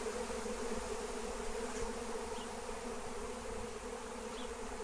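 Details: A massive wild honeybee swarm in flight, being lured and captured with lemon balm (Melissa). Steady, dense droning hum with a strong low tone and overtones, unbroken for the whole stretch, with a faint hiss above.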